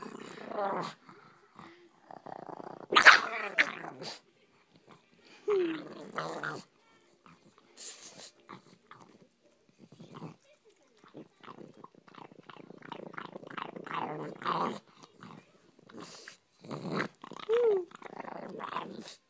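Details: Female pet dog guarding a bone she is eating in the morning, snapping when reached for. Harsh, rasping growls and snarls come in repeated bursts of a second or two, with a person's voice mixed in.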